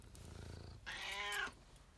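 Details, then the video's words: A pet cat, female, gives a funny meow while shaking her head. Low pulsing rumbles lead into a single bright, strained meow of roughly two-thirds of a second that ends abruptly, followed by quiet. "My cat makes a funny noise meowing and shaking her head"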